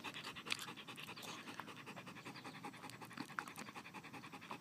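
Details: German Shepherd kept as a pet, panting fast and steadily while playing, with rhythmic breathy bursts throughout and faint scratching sounds.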